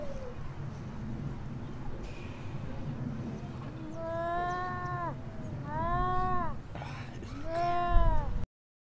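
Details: Atlantic seal pup on a Lincolnshire beach that has lost contact with its mother: three wailing, rising-then-falling harmonic cries, each about a second long, over steady wind and surf noise.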